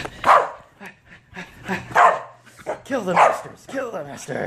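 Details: Corgi getting a bath indoors in a small room, giving short barks and whining, drawn-out harmonic cries between loud bursts, with a person talking over the dog throughout.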